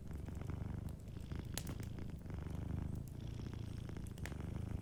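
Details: Gentle purr of a sleeping cat, deep and continuous with a rhythmic throbbing flutter, a few soft fire crackles breaking in above the rumble.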